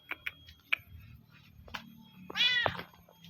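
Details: Village cats being fed sausage indoors: scattered soft clicks and taps, then one short, bright, downward-bending meow near the end, with faint background hum.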